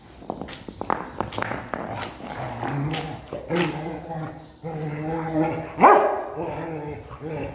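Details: A Rottweiler playing with a stone gives low, drawn-out grumbling whines and a sharp rising yelp, with clattering knocks.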